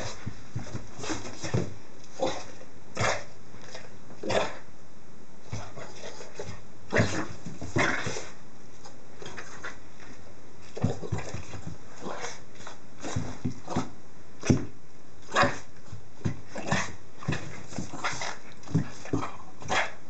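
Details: A Boston Terrier makes short, irregular snorts, grunts and soft yips in quick bursts while playing after stealing a dryer sheet, tearing it up and being chased.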